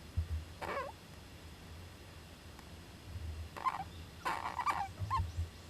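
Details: Young Japanese giant flying squirrel in an owl nest box on 19 July 2010; brief wavering squeaky calls, one early and a cluster near the end, with low thumps and background hum.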